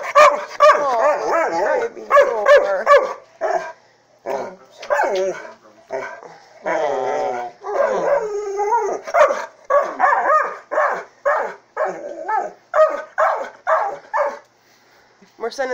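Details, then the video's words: Thor, a Saint Bernard/Pit Bull mix, jealous over his human, voices a long run of wavering, harmonic moans and short barks in uneven bursts, roughly two a second, with brief pauses between. "Saint Bernard/pittbull mix being jealous"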